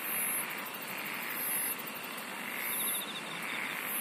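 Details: Chorus of singing insects: a steady buzzing drone with piercing, very high pulsed trills arriving in short bursts, and a faint rapid ticking trill higher up.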